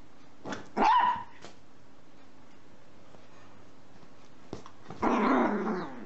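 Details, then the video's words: Dog barking for fun in a happy, playful mood: one short bark early, then a longer, rougher, growly bark near the end, over steady background hum. "Dogs barking out loud for fun happy dogs"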